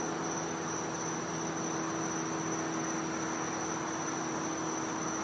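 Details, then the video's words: Cicada calling at night in winter in the back yard of a Florida home: a steady, unbroken high-pitched whine runs through the whole stretch over a dense broadband hiss, with a faint low hum beneath. "Cicada Sounds"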